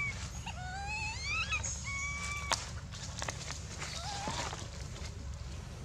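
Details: Baby monkey Dito screaming loudly with no milk, also biting Anya; shrill, tonal rising and wavering cries in quick bursts over the first two and a half seconds, then a softer wavering cry later, over steady low background rumble.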